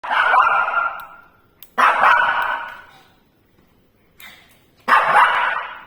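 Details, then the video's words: Shih Tzu barking out of fear at a tea leaves ball infuser; loud, harsh barks, each held about a second, three bursts separated by pauses in an indoor room. "Shih Tzu afraid of Tea Leaves Ball Infuser"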